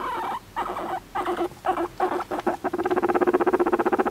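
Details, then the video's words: Pet guinea pig calling affectionately for attention indoors: a few separate squealing wheeks, then a rapid pulsing chatter of short notes, about seven per second, filling the last second and a half. "モルモットのかわいい甘える声♪ Cute voice of guinea pig"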